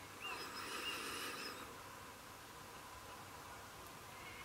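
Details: A female Welsh red fox, a mother of four kits fed by neighbours, filmed around July 2017 while being urged to eat her food, gives a high, nasal whine lasting over a second, then falls silent.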